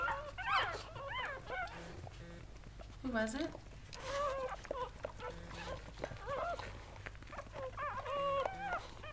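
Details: Goldendoodle litter of seven newborn puppies from mother Sandy squeals in bursts of short rising and falling whimpers, with a longer dipping cry near the middle and a person talking on the phone in the background.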